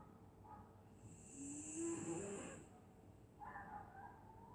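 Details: Dog sleeping on a winter night in Scotland lets out one long wheezy snore with a rising whistly whine, then a short breathy nasal sound a second later, against a low steady hum.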